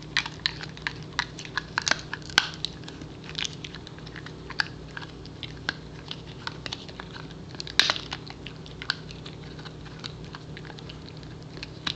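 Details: Crunching and gnawing of a dog chewing a treat in a small indoor room, sharp clicks scattered over a low steady hum, with no animal voice heard.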